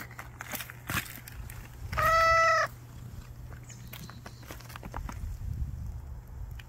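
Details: Hiding street cat waiting for a chance to eat, uttering a single clear, even meow lasting under a second amid scattered clicks and rustling, with a steady low hum beneath.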